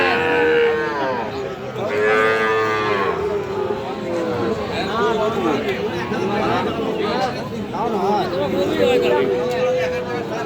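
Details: At the Aftabganj cattle market in Bangladesh, Sahiwal cattle and bull calves bellow in repeated drawn-out moos, one after another, over a noisy crowd of traders talking.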